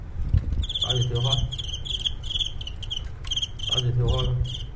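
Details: Crickets during a staged cricket fight, in which the one holding the upper hand is beaten in a reversal. Sharp, ringing chirps repeat in quick bursts throughout. A man speaks Cantonese over the middle.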